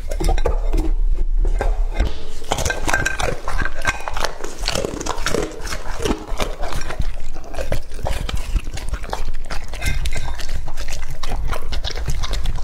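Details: Lucky, a two-and-a-half-year-old male English-type Labrador Retriever, eats raw meat, recorded up close. Dense wet chewing and crunching with sharp clicks runs throughout, and faint clinks are heard near the start.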